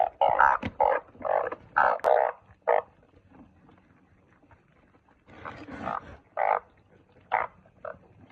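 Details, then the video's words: Truncate-snouted burrowing frog calling: short, hoarse croaks repeated in quick bursts, several overlapping, then a pause of a few seconds before another run of croaks begins. "เสียงอึ่งเผ้า อึ่งปากขวด"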